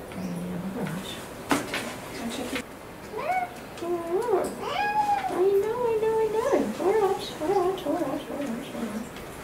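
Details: Boy the cat, a domestic cat with a respiratory infection and possible asthma, protesting during a home vet visit: a run of wavering, rising-and-falling yowls and meows with harmonics, mixed with people talking indoors.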